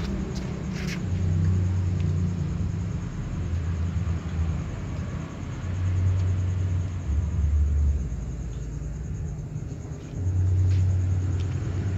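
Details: Steady low engine rumble from a passing or idling vehicle, swelling and fading in waves, with a few faint clicks and no animal calls.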